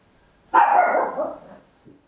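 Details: Very loud single bark from a tiny Papillon at home, drawn out and slightly rough, fading over about a second, followed by a faint soft sound; stereo recording made with an Olympus LS-11.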